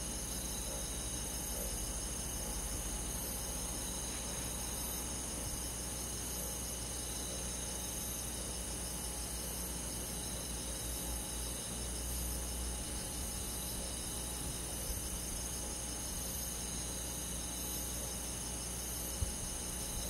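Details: Crickets among many forest insects calling through a summer night in the countryside, unbroken high buzzy trills with a rhythmically pulsing top band, steady throughout, above a noticeable low rumble and a brief click near the end.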